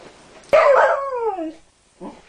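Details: Maggie, a female Sheltie hound mix dog, lets out a huge howl to celebrate victory after an argument with her dog bed; a loud harmonic wail sliding down over about one second, then a short softer yelp.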